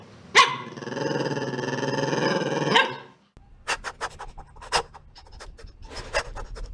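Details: Chihuahua giving a sustained, strained whining cry of about two and a half seconds, harmonic and steady, starting and ending abruptly, followed by scattered clicks and knocking handling noises.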